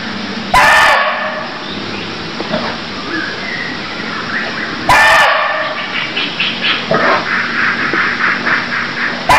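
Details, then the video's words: Barking deer in Cambodia giving two sharp, loud barks roughly four seconds apart, followed by a rapid stutter of softer pulsed sounds, all over steady background hiss. "Cambodia Sound Deer Calls || សម្លេងសត្វឈ្លូសស្រែក"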